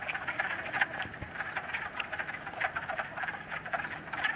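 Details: Chorus of wood frogs, first of the 2013 season, at West Hill Park in Uxbridge, Massachusetts, 30 March, sunny with leftover snow; dense overlapping quacking croaks, some individual calls standing out close by.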